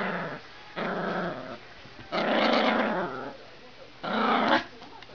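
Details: A male Papillon named Sena plays with a strawberry, giving three rough, raspy growling bursts, each lasting under a second, separated by quiet pauses.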